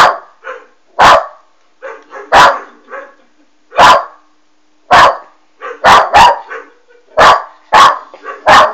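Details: A Westie puppy named Alma reacts to a Doberman on a TV or computer monitor. Loud, abrupt barks come at an uneven pace, sometimes in quick pairs. Quieter muffled yelps fill the gaps.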